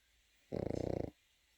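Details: A single short, pulsed, rattling snore from a sleeping Pekingese puppy, lasting about half a second against a hushed indoor background.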